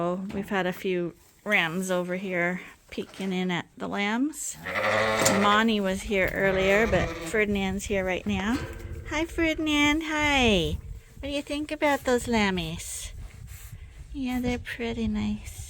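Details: Sheep at Ewetopia Farms bleating over and over in a pen beside a ewe with her twin lambs. The quavering, harmonic-rich cries come in quick succession and overlap with a person talking nearby.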